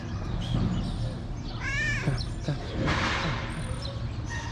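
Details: Tabby cat in Morocco, hungry and talking to its carer at a small shelter for abandoned kittens: one short, arching, quavering meow among human words and background hum.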